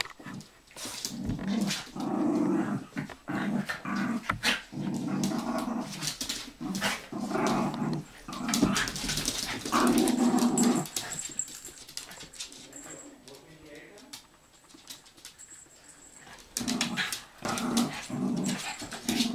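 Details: Bichon Frise dogs, several together: low rumbling growls with scattered short barks and clicks, indoors, with bursts of scuffling noise and quieter pauses.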